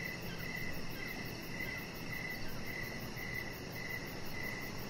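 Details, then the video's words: Evening crickets chirp near a deck where a small chihuahua lies; quick high chirps repeat at an even pace over a gentle background hiss. "3 Hours Of Chihuahua Puppy Laying On Deck with Cricket Sounds"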